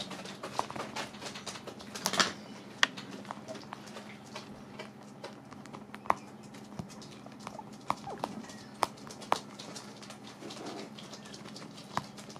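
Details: Guinea pigs nibbling dried apple slices: a burst of crunching about two seconds in, then sparse isolated sharp clicks and crackles spread over the rest of the recording, over a faint constant low hum.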